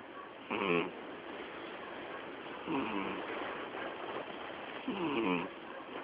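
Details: Miyabi, a female cat nearly twelve years old, asleep and snoring so heavily the television cannot be heard; three softer, grating snore bursts roughly two seconds apart against a constant hiss.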